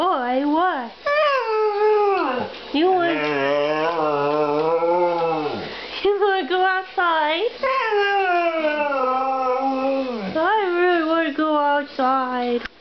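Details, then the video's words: Pet Siberian Husky named Demon holding a long vocal 'conversation' with his owner indoors: sustained, wavering howls that bend up and down, broken by brief pauses and swooping yips, with a deeper voice briefly underneath. "Having a conversation with my husky"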